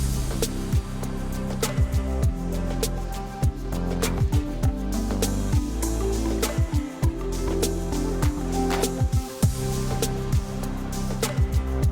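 Steady music with percussive beats and sustained low tones fills the whole stretch, with no animal calls heard.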